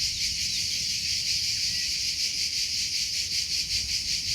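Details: Cricket calling outdoors with a thin, piercing, high trill that beats in slightly uneven pulses throughout, over a faint low background hum.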